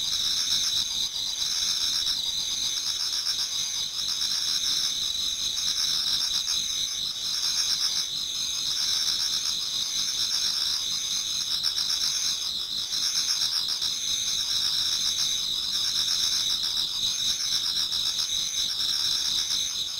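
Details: Dense chorus of many autumn insects in a Japanese garden near dawn: shrill, fast-pulsed ringing trills run continuously, while a lower layer of chirps rises and falls in loose rhythmic bursts.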